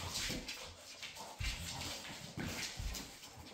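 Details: Several female Labrador Retrievers playing together; short broadband yelps and huffs come in bursts about once a second, with scuffling and thumping play noises in between.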